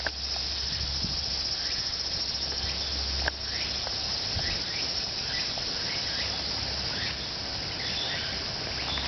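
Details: Evening cicada chorus in Japan, a continuous high shrill drone, while small birds add short chirping notes scattered throughout and a single sharp click sounds near the middle.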